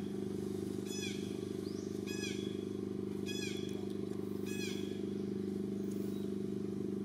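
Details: Baby monkey of the mother Jade crying loudly while the mother pays no attention and another monkey, Daisy, tries to take it; four sharp, descending, harmonic cries about a second apart over a steady engine-like hum.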